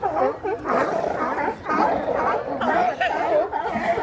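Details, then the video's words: Large group of sea lions resting on the docks in Westport, Washington, calling loudly together: overlapping gargling, harmonic barks and groans rising and falling in a dense, continuous chorus. "Sea Lion Party"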